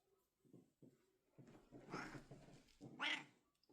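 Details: Pet domestic cat indoors in a small room: a run of low, throaty grumbling sounds, then a brief, brighter, louder meow-like cry near the end, with a few soft clicks before it.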